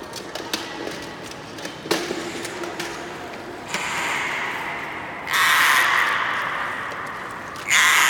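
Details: Beluga during a training session at Nagoya Port Aquarium, 25 February 2018: after faint background chatter and clicks, a harsh, buzzy squawk swells and holds for about two seconds, then a second loud rasping call begins near the end.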